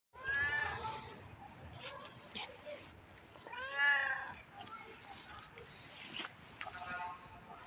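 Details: Friendly black cat, outdoors, giving two clear harmonic meows, the first drawn out and falling, the second rising then falling, with softer chirping sounds and faint background noise between them.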